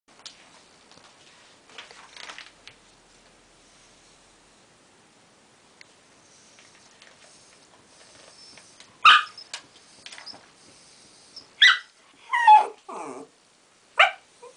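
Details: A furious West Highland White Terrier named Winnie barks because her sister Polly, a Tibetan Terrier, still has her ball; quiet whimpers, then loud sharp barks from about nine seconds, several in quick succession, indoors.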